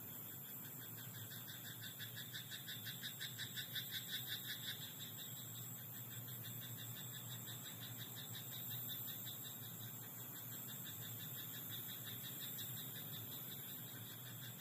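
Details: At night in a rice paddy, a frog croaks in a rapid pulsed rattle that swells between two and five seconds, followed by quieter, patchier pulsing against a low steady hum.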